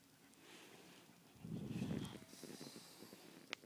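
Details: A fat, lazy pug snoring: one low, rattling, pulsed snore swells near the middle and then trails into softer fluttering breaths. A brief sharp click comes near the end, over faint background hiss.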